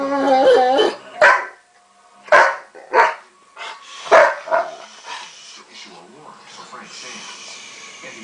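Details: A male dog giving what is described as a Tarzan-like yelp: a wavering, yodelling harmonic cry at the start, then several short, sharp yelps and barks at irregular intervals, with people talking throughout.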